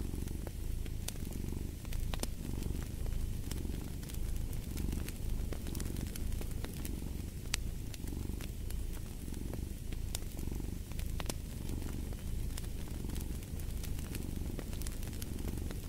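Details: Cat purring beside a crackling fireplace, a deep steady rumble that swells with each breath roughly every one and a half seconds, while sharp pops and snaps from the fire punctuate it throughout.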